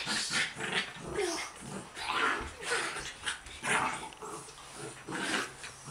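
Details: Buddha the dog roughhousing with visiting girls, giving repeated rough growls and short barks about every second and a half, with children's voices and laughter throughout.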